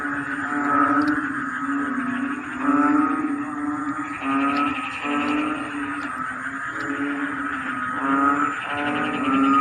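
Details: A rainy-season chorus of frogs in rice fields, likened to a choir: a deep, steady droning tone under repeated bursts of fast, ratcheting pulsed calls arriving every second or two.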